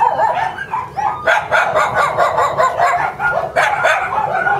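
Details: Lively young Shiba Inu puppy of expected mame-shiba size yapping steadily: shrill, clipped barks repeated in rapid runs, some with a rising whiny edge, nearly continuous throughout with brief dips between bursts.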